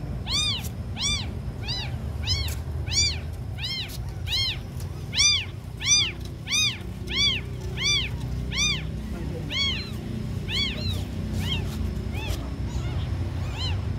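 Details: Abandoned kittens, among the smallest, giving a long run of rapid piercing mews, about one and a half per second, fading to softer scattered cries toward the end, with low background hum.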